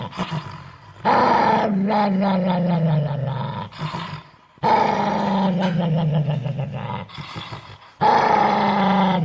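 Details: Angry dog giving three drawn-out, throaty growls, each about three seconds long with a gradual falling pitch and a raspy texture, separated by short quiet pauses.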